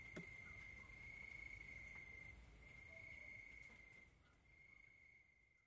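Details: Crickets calling at night: a thin, steady high-pitched trill running almost unbroken, with brief dips, over a soft low rumble of background noise.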